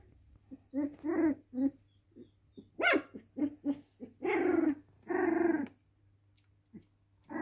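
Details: Indoor pet dog giving a string of short tonal yelps that build into two longer, drawn-out whining cries near the end, with a steady low hum underneath.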